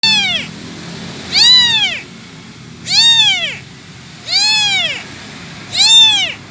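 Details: Abandoned kitten without its mother, calling for her: loud, high arched meows rising then falling, five cries spaced about every one and a half seconds over a low background hum.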